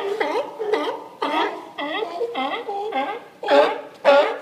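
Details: Raspy, wavering barks from sea lions resting on the dock in Newport, Oregon, spaced about half a second apart, with the last two louder and closer.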